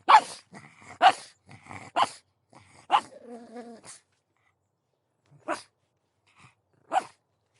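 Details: Pug barking: sharp yappy barks at irregular intervals, some followed by a short tonal whine, with quieter barks spaced out toward the end.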